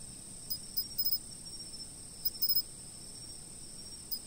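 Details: Insect chorus: an unbroken shrill trill overlaid by quick groups of two or three sharp chirps near the half-second, one-second and two-and-a-half-second marks, then another near the end.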